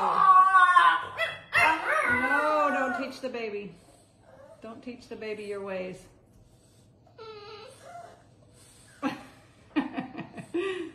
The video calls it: Vocal French Bulldog Screams To Be Let Out Of Playpen